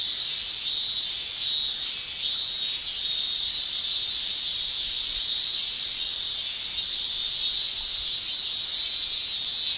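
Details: Male cicadas' summer tymbal song in Japan: a loud, shrill high buzz throbbing in regular surges roughly every second over a steady chorus.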